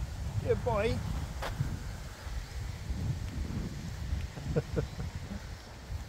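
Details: Old Husky finding his voice again after an unexpected surprise: a brief wavering, yodel-like cry with stacked rising and falling tones near the start, then a couple of short higher yips later, over steady wind and a person talking encouragingly.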